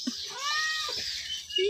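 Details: Sleepy cat at home, resting among other cats, letting out one drawn-out, slightly rising then falling meow of about a second, with a short squeak at the end and faint background chatter.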